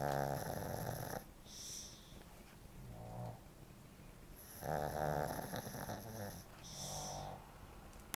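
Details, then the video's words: Chloe, a sleeping Shih Tzu that snores louder than most humans, produces a long harsh rattling snore, a quiet pause, then another loud buzzing snore followed by softer snuffles. "Snoring Shih Tzu Chloe"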